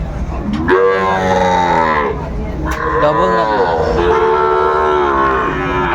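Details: Sahiwal bull cattle at a Bangladeshi market in Brahmanbaria, late May 2024, give drawn-out, wavering moos, rising then sagging in pitch, repeated back to back across several seconds, with a hum of market voices behind.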